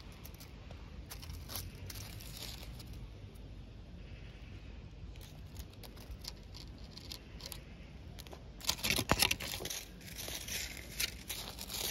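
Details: Crinkling, tearing rustles and scattered clicks indoors, growing louder near the end, with no animal call heard.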